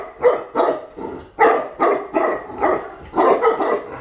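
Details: Female Tibetan Mastiff, newly imported from Russia, giving a steady run of eight loud, deep barks roughly every half second, followed by a person's soothing voice.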